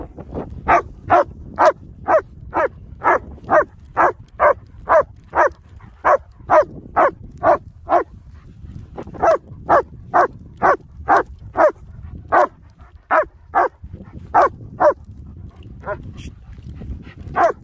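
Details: German Shepherd barking on the hills near Hawick, out with companion Nico or Zeeva. A long, steady run of about twenty-five short, punchy barks, nearly two per second, with brief pauses and soft wind underneath.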